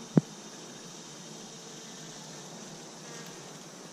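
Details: Honey bees at three Apimaye beehives, one recently requeened with a marked green queen, another given a fifth chamber for honey: a low, steady droning hum with one sharp click near the start.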